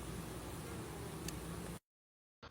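Honey bees give a dense, steady buzz, a low droning hum that stops abruptly.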